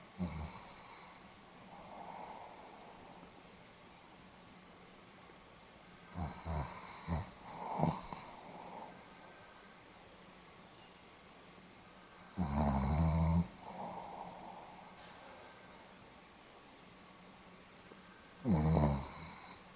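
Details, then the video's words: Pomeranian dog snoring indoors, recorded 8 November 2015: quiet, low rasping snores come in short bursts around the middle and end, with soft breathing between and long near-silent gaps. "ポメラニアン 犬のいびき"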